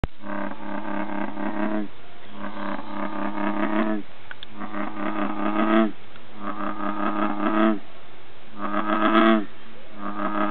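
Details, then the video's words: A single male American bullfrog, in sight and close by among plants, sings deep, droning, cow-like calls that repeat in long bursts. "Bullfrog Song"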